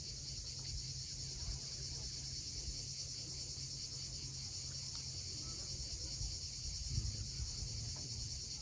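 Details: Cicadas at sunset on the steep coast at Cape Fiolent, Crimea, keep up a steady, high, hissing drone over a low rumble of wind, with waves and birds in the area.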